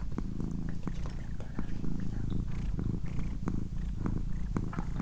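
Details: Pet female cat purring in a quiet room: a dense, even low rumble with rhythmic pulses, punctuated by faint clicks and small handling sounds, barely any voice.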